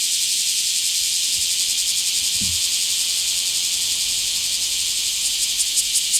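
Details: Bear cicada recorded in a small park on 24 July 2026: continuous harsh buzzing chorus, with a few brief low thumps in the middle and sharper clicks near the close.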